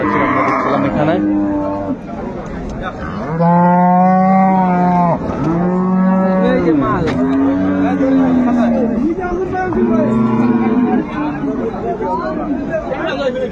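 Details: Improved-breed dairy cows and calves at Ambari cattle market, Dinajpur, 10 February 2025. A series of deep, drawn-out moos about one to two seconds each, separated by short gaps, with some rising and falling in pitch, amid a murmuring market crowd.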